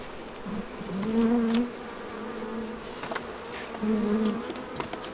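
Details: Single honey bees flying past during honey harvesting, two short buzzing swells about three seconds apart rising over a soft background hum, with faint ticks and clicks between them.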